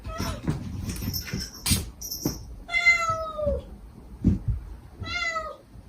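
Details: A stray mother cat calling her kittens softly, with the kittens answering in sweet, begging cries. Long drawn-out meows slide downward in pitch, and a shorter one follows, between bumps and rustling nearby.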